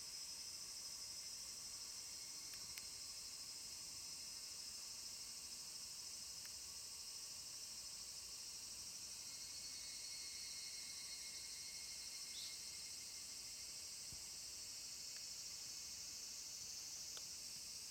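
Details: Evening cicadas (Tanna japonensis) call in a steady, high, shimmering trill that blends into a continuous chorus, recorded 5 August 2014 near Dosokei gorge, Ibara, Okayama Prefecture, Japan.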